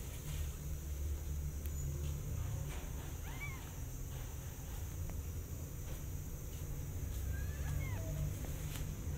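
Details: Kittens near their mother cat as she eats, recovering from an eye infection: two faint, thin rising-falling meows around the third and seventh seconds over a steady low hum and hiss.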